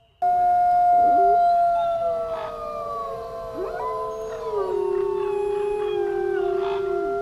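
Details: A chorus of black wolves, large gray wolf subspecies of North America, with several sustained howls layered at different pitches, some wavering and stepping down, holding on a low steady note near the end.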